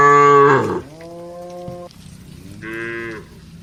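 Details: Cattle from a herd of dozens going to the barn: a loud moo ending abruptly, a quieter level moo from another cow, then a short soft moo.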